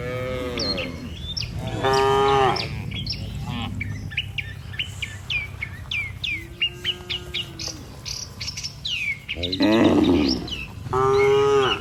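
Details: Dozens of tame cattle heading back to their pen from open pasture low repeatedly, several long moos overlapping one another while birds keep up bright chirps and twitters throughout.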